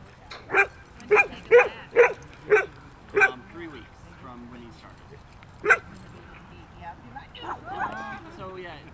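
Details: Two young dogs at play in a park, a 4-month-old border collie and a 5-month-old aussie-golden mix; six quick barks in the first three seconds, one more near six seconds, then soft yips and voices.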